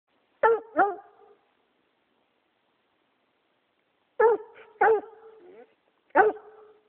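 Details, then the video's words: A pet dog barks, possibly getting cold feet: sharp, clear barks mostly given in pairs, a double bark, a pause of about three seconds, then another pair and a single bark, each ending in a short hoarse tail. "Arbor Barking"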